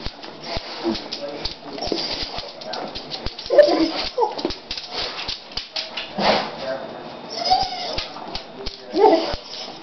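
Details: Pet dog named Max out on a walk, making odd vocal sounds: short whimpering, moaning tones that rise and fall in scattered bursts, mixed with footsteps and a person talking.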